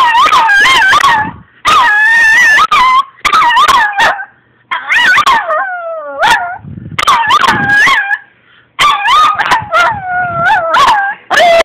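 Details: Puppy Minako howling playfully, April 2, 2012: repeated bursts of wavering, yodel-like howls rising and falling, broken by yips and short gaps, about eight phrases across the recording.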